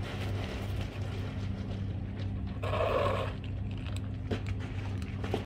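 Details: Cat meowing to ask for food: a single drawn-out, mid-pitched meow of under a second, set against a constant low electrical hum and a few faint clicks and knocks.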